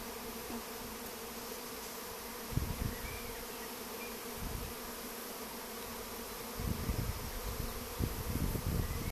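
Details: Honey bees swarming and searching for a place to settle; a constant layered buzzing drone of many bees, broken by several low rumbling bursts of wind or handling noise.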